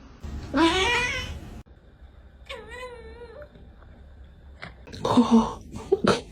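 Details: Pet cat in a funny compilation, opening with a drawn-out, rising-then-falling meow, followed by a wavering, tone-like cry. Scuffling noises, a low hum and brief squeaky yelps fill the rest.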